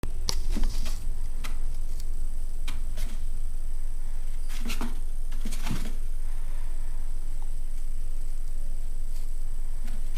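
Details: A female chinchilla gives a few sharp, airy little sneezes amid soft rustling indoors during her dust bath, then wipes her nose; chinchilla sneeze.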